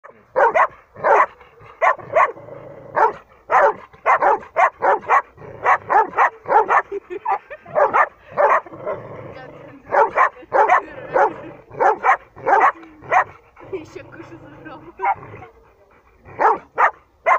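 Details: Samoyed during stay training, giving a long run of short, sharp barks in quick bursts with brief pauses, some nearly back-to-back, with faint talking in the background.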